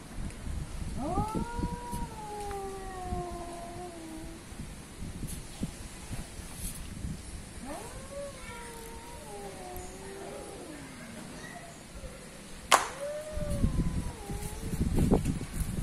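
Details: Fighting cats, one called Asian and one African, trade drawn, moaning yowls that rise and then droop. Long stretches of rustling background noise fill the gaps, and a sharp click comes near the end.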